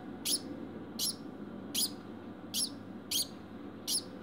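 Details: A pet degu barking after mating: short, sharp broadband chirp-like barks repeated about every 0.7 to 0.8 seconds, six in a row, over a low steady background hum.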